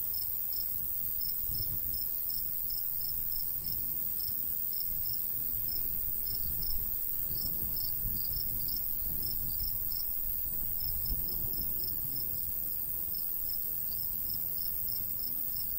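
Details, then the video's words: Summer countryside crickets near a golden wheat field chirp in a continuous train of thin high pulses, with a light breeze rumbling gustily underneath. "Countryside/cricket sounds"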